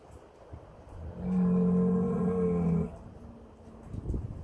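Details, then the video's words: Heck bull calling his herd at Kottersbos, Oostvaardersplassen, Nieuw Land National Park, on 10 March 2021 during a feeding action; one long, deep, steady harmonic moo lasting about one and a half seconds, with a low rumble after it. "Heckrund stier roept zijn kudde"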